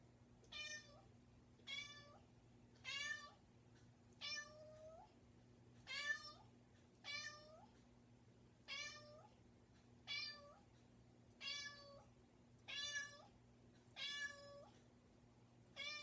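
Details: Domestic cat persistently meowing at a bedroom door: a long regular series of about twelve loud, harmonic meows spaced a little over a second apart, against a quiet indoor background with low hum.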